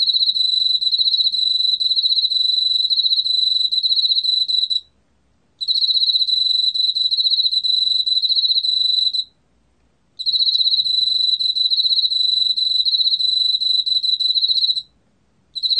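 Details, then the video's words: Chirping song of an Emma field cricket, recorded by the National Institute of Biological Resources in 2020: three long, high, pulsing trills of about five seconds each, separated by short silent pauses, with no other sounds. "왕귀뚜라미, 여러번 듣기, 곤충소리"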